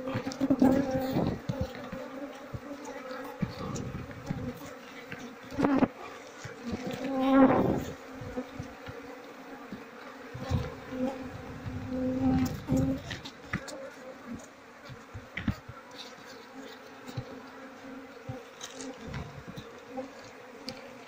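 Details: Buzzing of a queenless Asian honey bee colony with honey-filled comb lacking larvae; continuous low droning hum with strong harmonics, louder bursts at about 1, 6 and 7.5 seconds, scattered clicks and handling noise.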